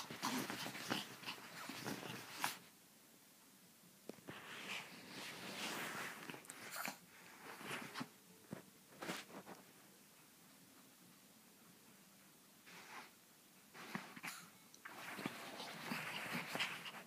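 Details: Pepito, a chihuahua, giving harsh, noisy snarling and yapping bursts in several bouts of one to three seconds, separated by quieter gaps, with faint whistle-like background tones.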